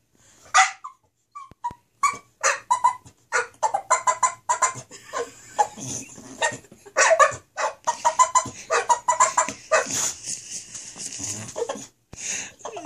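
An English Bulldog gives a rapid string of whiny yips, grumbles and moans, upset at being left alone.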